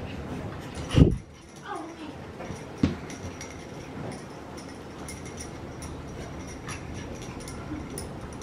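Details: French Bulldog puppy at Umpqua Valley Kennels in Drain, Oregon, giving a sharp low yelp, then a thin rising whine and a few soft whimpers, with a woman's voice talking gently nearby.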